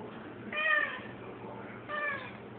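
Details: Domestic cat indoors chasing a fly, giving two short, strained meow-like calls with clear harmonics, each under half a second and about one and a half seconds apart, over a steady low room hum.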